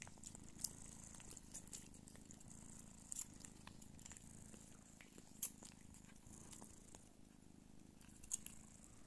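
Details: Don Sphynx cat mother nursing her kittens, purring in a steady low drone; a few isolated louder clicks and taps break through now and then.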